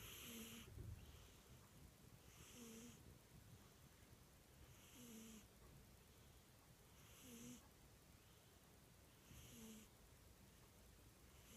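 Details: Cat snoring quietly: airy, rasping breaths roughly every two to two and a half seconds, each with a faint nasal whistle, against a low background rumble.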